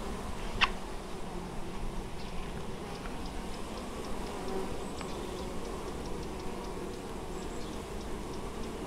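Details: Many honey bees carrying honeydew at an apiary in Moszczanka, Opole Voivodeship, Poland, recorded 19 August 2013; a steady, low, swarming drone runs unbroken, with one brief sharp tick near the start.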